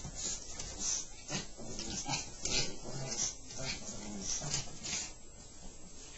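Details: Two Chihuahuas, Sammi in a Superdog shirt and Happy, playing and necking together on a bed; rapid rough snorts and grunts come in bursts about every half second, with breathy noisy puffs and some soft human voice underneath.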